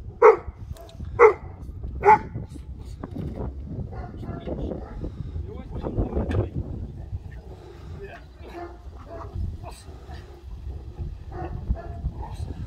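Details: Cane Corso, formentino coloured, working a bite sleeve in attack training; three quick, deep barks open, spaced about a second apart, then men chatting and handling noise take over with no further barking.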